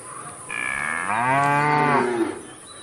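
A cow gives a single drawn-out moo, rich and nasal, dipping slightly in pitch at the end.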